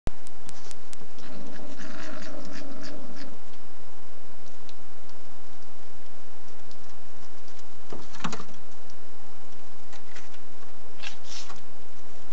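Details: At night on a feeding table, a European pine marten, unwilling to share with a visiting badger, gives a low, rasping, buzzy growl lasting about two seconds, then sharp knocks and scuffling against steady hiss.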